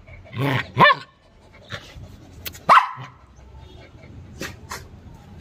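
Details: Playful dog during playtime giving two loud, sharp single barks about two seconds apart, with softer thumps, rustling and faint voices in between.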